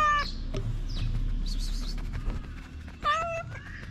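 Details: Street-living ginger cat in Morocco, hungry and happy to see its feeder again, gives a drawn-out wavering meow, then another a few seconds later, over steady low outdoor background noise.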